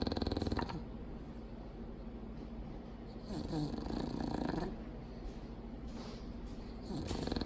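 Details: Loud, deep snoring from a sleeping female Bulldog: a steady gravelly rumble punctuated by stronger rasping inhalations every few seconds.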